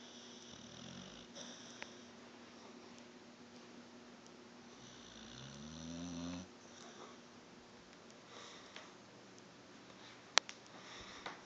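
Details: Dog asleep indoors, snoring: a short low snort near the start, then a longer rasping, rumbling snore with layered harmonics midway, between quiet breaths, light clicks and a sharp tap.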